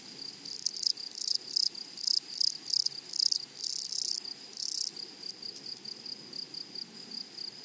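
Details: Loud, high, rasping bursts from grasshoppers in a flowery meadow come about twice a second for several seconds, then fade to a quieter, steadier buzzing.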